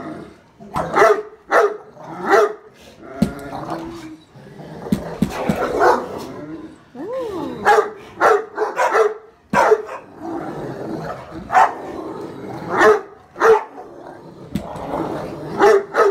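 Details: Great Dane kept as a family pet, loudly barking at the household's daughter. Deep barks come in irregular bursts throughout. A brief rising-and-falling whine-like tone is heard midway, with faint voices between the barks.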